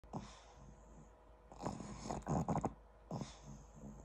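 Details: A pug sleeping on its owner snores in low, rough, rasping, rattling bursts of uneven length, with softer snuffling breaths between them and a faint steady hum in the background.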